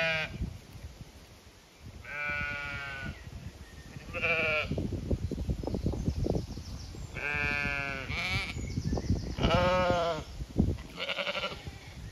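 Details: Flock of Zwartbles sheep on a regenerative County Kilkenny farm in Ireland, vocal while expecting a move to fresh pasture; repeated quavering bleats from several animals, spaced irregularly over twelve seconds, with steady low rustling and footsteps between.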